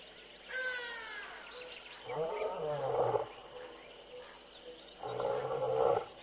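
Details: Wild male lion roaring on an early morning patrol at Tembe. Two deep, grunting roar bouts of about a second each, three seconds apart, rumbling low with a raspy upper edge. A thin whistled bird call is heard at the start.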